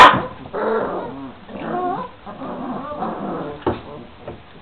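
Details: Twenty-six-day-old Šarplaninac puppies from one litter give soft whimpers and short squeaky yips, with curving tones, in a quiet stretch after a sharp opening noise.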